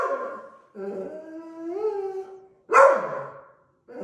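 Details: Deutsch Drahthaar puppy in training, a sustained wavering howl-like whine rising slightly, then one sharp loud bark and the start of another whine.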